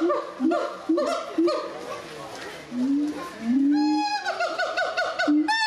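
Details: Gibbons at Doué-la-Fontaine zoo, France, sing loud, tonal hoots and swooping rising whoops that break into a fast, quavering trill.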